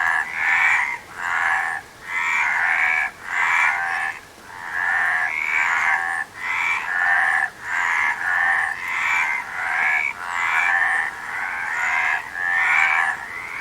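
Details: Frogs croaking in a nature recording, with rhythmic raspy bursts repeated roughly twice a second, brief dips between pulses, and nasal upward-sliding notes riding on a busy trilling chorus.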